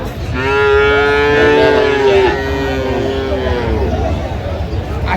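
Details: A single long, even moo of about two seconds rings out early from cows and calves at Aftabganj market in Dinajpur, Bangladesh, January 2026, followed by fainter lowing and continuous background voices.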